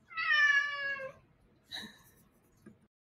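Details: Cheetoh cat that fetches a spring like a dog, indoors: one clear, drawn-out tonal meow of about one second, followed by a short soft chirp and a faint tap.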